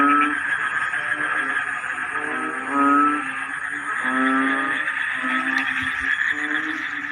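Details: Frogs in a wet-season rice field calling together: short, rattling pulsed croaks in irregular bursts layered over a constant buzzing drone from the wider chorus.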